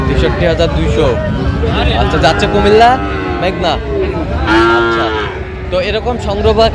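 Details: Sahiwal bull calf at a cattle market in Cumilla, Bangladesh, on 23 January 2026; drawn-out harmonic lowing rises through the busy scene over a constant bed of crowd chatter and market noise.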